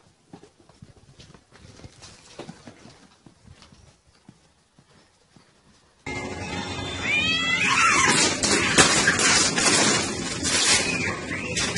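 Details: Domestic cats in a real fight: a few seconds of faint rustling and clicks, then loud, wavering, rising and falling yowls with harsh broadband noise, strained cries repeating rapidly until the end.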